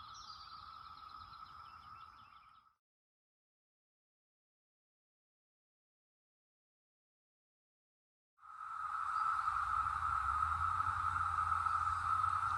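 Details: Brood X cicadas emerged after 17 years underground, chorusing in the North Georgia mountains in 2021: a steady droning buzz that cuts out to silence for several seconds, then returns louder, with a faint low rumble underneath.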